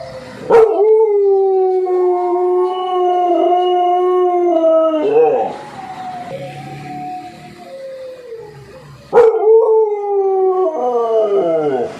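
An American Pit Bull Terrier howls in long, sustained tones, pausing briefly before starting again.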